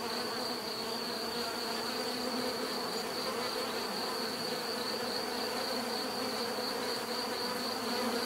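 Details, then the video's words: Steady buzzing of bees, a thick, continuous drone with gentle fluctuations and a high thin tone riding on top, nothing else clearly heard. "bees therapy relaxing natural buzzing sound"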